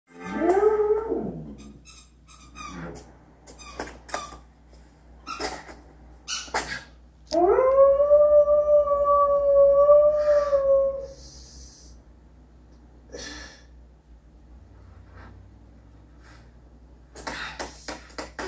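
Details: A female Samoyed puppy howls in response to her squeaky elephant toy, a rising tone that holds steady for several seconds before trailing off.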